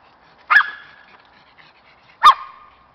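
Two sharp, fairly high barks from a Cairn Terrier ring out, each a quick explosive yap with a brief ringing tail. A pause of nearly two seconds separates them against an otherwise quiet background.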